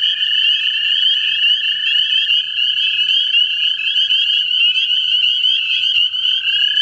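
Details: American toads looking for mates in a central Ohio vernal pool: continuous, overlapping musical trills from several callers. The steady low trill drops slightly in pitch near the end, under a brighter, higher chorus.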